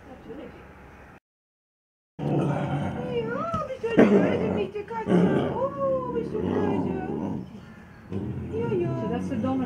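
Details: Young snow leopards at Zoo Wuppertal greeting their keeper, whom they treat as a foster mother; a run of arched, bending mews, some rising then dropping, over a woman's German speech and rustling.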